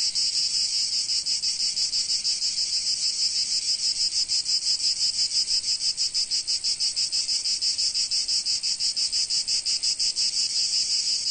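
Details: Cicadas in sunny Provence in summer: an unbroken high-pitched sizzling chorus, its pulsing beat quickening and sharpening in the second half, no other animals heard.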